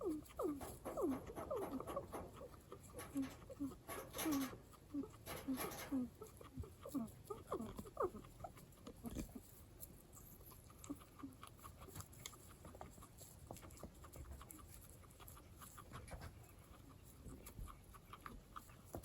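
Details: A pet guinea pig known for its unusual way of calling makes odd, short squeaky notes in quick series, then falls quiet amid soft rustling.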